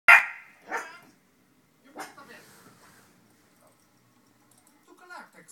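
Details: A Chihuahua–Jack Russell cross puppy gives sharp, high yapping barks at a meerkat on a car and home insurance TV advert, with the television speech behind.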